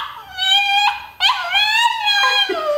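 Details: Pet dog "talking" to its owner indoors in a small room: a drawn-out, tonal whine-howl with a break near one second, then a long wavering moan that slides slightly down at the end.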